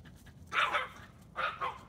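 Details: A four-pound Chihuahua barks at five deer visiting a backyard: short, sharp, yappy barks in two bursts, the second a quick double bark, with a person's voice nearby.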